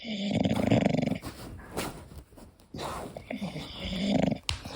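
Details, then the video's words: Sleeping English Bulldog named Koda snoring, a loud throaty rattling inhale, then softer wheezy breathing and a second gurgling snore toward the end. "My english Bulldog snoring"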